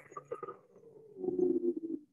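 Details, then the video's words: Howler monkeys in forest, home of the harpy eagle that preys on them, give a deep, growling roar that swells into a sustained, rumbling drone over about two seconds. "it's phenomenal to be in a forest and listen to howler monkeys in these forests it's just unbelievable"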